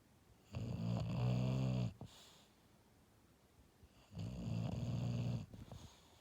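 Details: English Bulldog snoring in its sleep, two long rumbling low snores about three and a half seconds apart, each drawn-in breath ending with a short snort, quiet indoor room between breaths.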